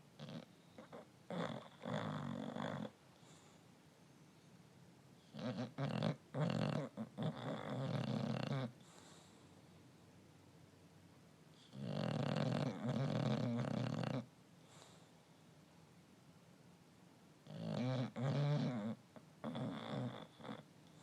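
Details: English Bulldog snoring with his tongue sticking out, deep rattling rasps returning every five or six seconds.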